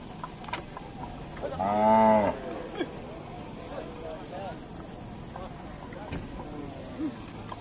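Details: Dhani bull at Domail cattle market, Fateh Jang, Pakistan, June 2021 before Bakra Eid: one deep, drawn-out moo lasting under a second, then quieter murmurs, distant clatter and a steady high electrical whine.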